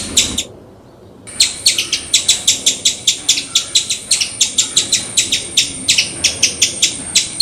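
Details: Squirrel call: after a brief pause, a fast, insistent string of sharp, high chips repeated roughly three times a second, even and persistent throughout.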